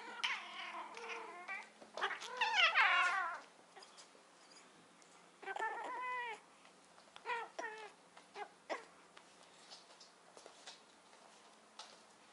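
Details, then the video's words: Domestic cats during mating, the female meeting it for the first time: loud wailing caterwauls and harsh yowls rising and falling in repeated bursts over several seconds, with quieter meows between and a low steady hum behind. "Mating cats for the first time"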